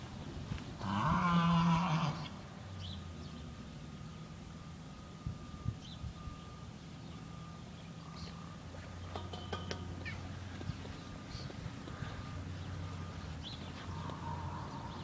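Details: A mule screaming outdoors: one harsh, strained, harmonic cry about a second long near the start, then a steady low engine-like hum with scattered clicks and faint distant noises.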